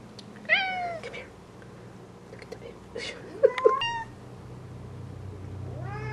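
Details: Being shown a butterfly that failed to revive after a cold morning, Bengal cats Papaya, Bamboo and Mango meow in short, bent cries: one near the start, a quick pair midway, and a rising wail at the end, with a person talking quietly.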